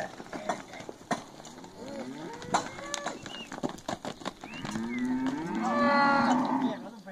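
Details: Heifers from a lot of nineteen, aged one and a half to two and a half years; knocks and clatter, then a drawn-out harmonic moo building from about five seconds to the end.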